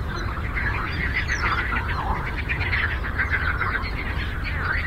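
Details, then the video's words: A lake frog symphony: countless rapid, rattling croaks merge into a thick, steady chorus that never pauses, with faint low rumbling beneath. "Frog Croaking"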